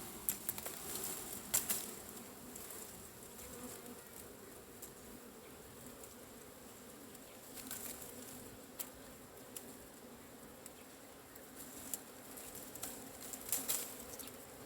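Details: Cavity-nesting Asian honey bees buzz while their hive is harvested: a continuous low drone with layered hum bands, scattered with brief clattering knocks and scraping handling noises throughout.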